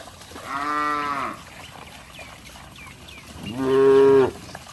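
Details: Cows playing in mud, jumping and splashing: a moderate, drawn-out moo followed after a pause by a louder, steady moo about two and a half seconds later, with faint chirping sounds between.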